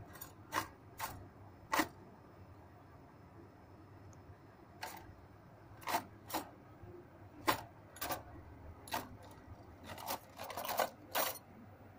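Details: Scattered sharp taps and clicks over a quiet indoor hush, with no animal calls heard.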